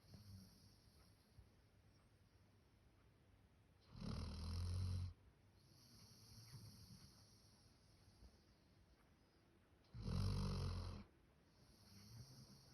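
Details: Max, a male Labrador Retriever born 1 October 2019, snores like a human while asleep: two deep, rasping snores about six seconds apart, each lasting roughly a second, separated by soft breathing and a steady background hiss.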